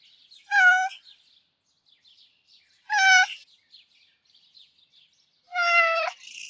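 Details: Three clear, rich meows from Fangs and Afori, a pair of sweet-natured, gentle Russian Blue cats, come roughly two and a half seconds apart, with the final meow slightly longer and fuller.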